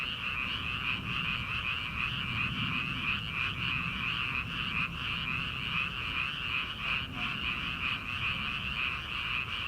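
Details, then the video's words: Early-summer night chorus of many frogs in rice paddies before transplanting begins: a continuous high-pitched trilling wall of croaks with faint pulsing and a soft low background hum. "초 여름 개구리 울음소리/ 논에서 들리는 개구리 소리"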